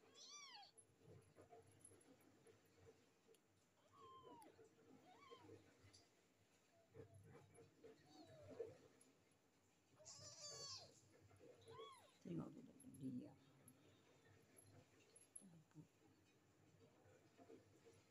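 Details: Three stray kittens, one with a swollen, sore eye that gets cleaned daily: repeated short, arching mews at irregular intervals, several in quick pairs, with a person talking softly in Malay and handling noises in between.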